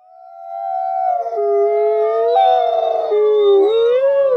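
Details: Captive-born gray wolves at a wolf conservation center in South Salem, New York, howling together as social bonding; two long, steady tones near the same pitch overlap, one dipping lower after a second, with a brief rough burst midway.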